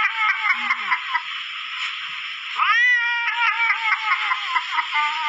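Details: Cat giving a drawn-out, strained caterwauling cry, nasal and harmonic, with pulsing wavering tones and a sharp rising wail about halfway through, recorded close up indoors.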